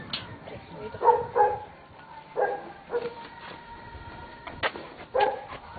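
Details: Tibetan Mastiff giving short, deep-toned harmonic barks in irregular bursts, several close together then a pause before a final pair, over faint steady background tones.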